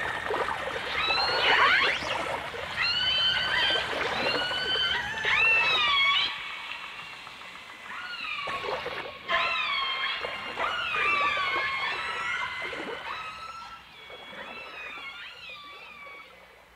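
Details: Dolphins and orcas from a 1989 stereo recording: dense overlapping high whistles, many rising and falling sweeps and chirps layered together, with bursts of clicky pulses and a brief quiet gap midway before the chorus resumes.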